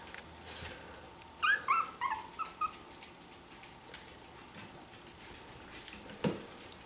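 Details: Miniature Schnauzer puppies from the chocolate litter, beginning to interact and learning to express themselves with sound: a brief run of thin, wavering whimpers and tiny yips in the middle, then quiet with faint rustling.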